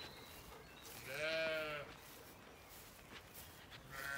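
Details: Zwartbles ewes sheltering from the rain under a tree on a regenerative farm in County Kilkenny, Ireland; one wavering, harmonic bleat of about a second, with soft rustling and a woman's voice nearby.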